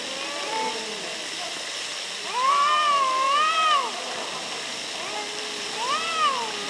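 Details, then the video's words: Near Antalya, Turkey, one of two arguing cats lets out a long, drawn wavering yowl that rises and falls twice, followed by a shorter moaning cry, over a steady background hiss. "Funny Arguing Cats"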